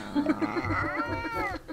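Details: Scottish Fold kitten newly arrived at its home, giving one drawn-out, wavering meow that rises then falls, preceded by a few short, soft squeaks.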